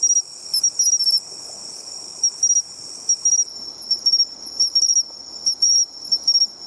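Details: Seaside bell cricket song: clear, high, bell-like trills broken into short bursts at irregular gaps, over a continuous shrill insect chorus and faint low background noise.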